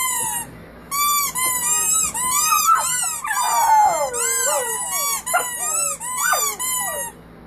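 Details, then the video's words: Puppies from one family howling together indoors: high, wavering whine-like howls with overlapping arched notes, several voices at once, in bursts separated by short pauses. "Family of puppies howling"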